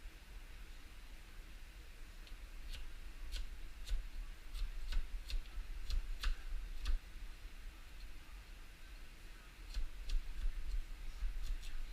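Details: Only a quiet indoor room with low rumble and scattered faint clicks, no animal voice.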